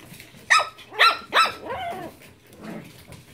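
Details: Japanese Chin puppies yapping three times in quick succession, high and sharp, followed by softer, lower whimpering sounds.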